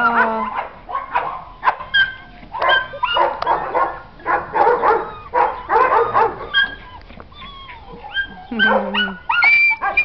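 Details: Puppies at the Protectora de Algeciras animal shelter in Spain, one having been hit by a car: repeated short high yaps and barks in bursts, mixed with whimpering whines, with a person speaking Spanish between them.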